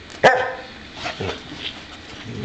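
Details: Boxer dog wanting to play gives a single sharp, loud bark near the start, followed by quieter household rustling and faint sounds.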